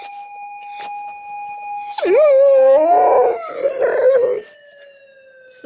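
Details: Golden retriever howling mournfully in response to a police siren played to it indoors; a steady siren tone gives way to a loud wavering, sliding howl for about two seconds, then fades back under the siren.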